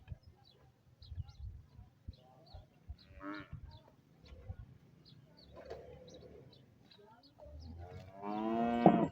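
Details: Cholistani Friesian cow giving one short, loud, harmonic moo near the end, after quieter stretches of background speech and faint music.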